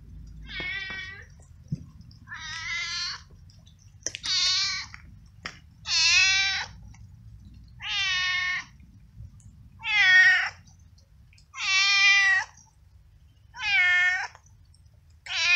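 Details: Frightened, cold, hungry stray male cat wet from hours of rain on a street, meowing very loudly while being fed; eight long, strained, harmonic-rich meows repeated about every two seconds, with faint background rain noise.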